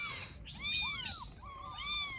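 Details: Rescued baby kittens in Vietnam, resting after a feed, utter three thin, high meows that rise and fall, close together, the last loudest, over faint low hum.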